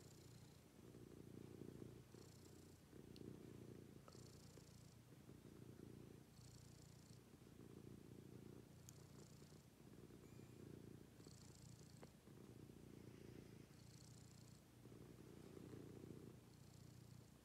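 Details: Morning routine with a house cat, whose deep purr pulses in regular bursts roughly every second, each burst paired with a faint hissing band higher up; a few soft clicks are heard.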